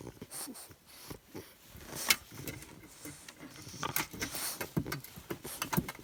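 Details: A 13-week-old male English Bulldog puppy makes short snuffling grunts and snorts in his nightly burst of energy before bedtime, while a person talks to him.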